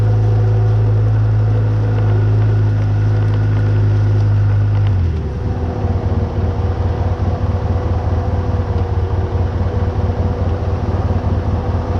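A vehicle engine drones steadily, shifting to a rougher, pulsing rumble partway through, with no animal sounds.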